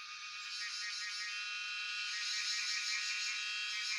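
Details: Cicadas, locally called Jhyaukiri, recorded on a cellphone at Shivapuri National Park, Tarkeshwor: a dense, continuous high buzzing chorus with fine pulsing texture, swelling slightly louder over four seconds.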